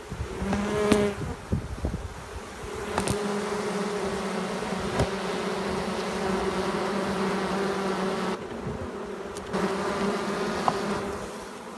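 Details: A Western honey bee swarm on a grape vine in a backyard near an apple orchard in Innisfil, July 22, 2015, gives a steady, low, droning hum with a rich, buzzy overtone.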